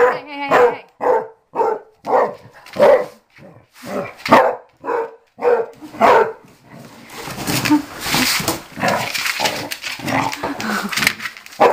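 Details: Mamie, a dog around six or seven years old who was given away and is now learning to be an inside dog, barks steadily for several seconds before loud broadband noise and a person's voice take over.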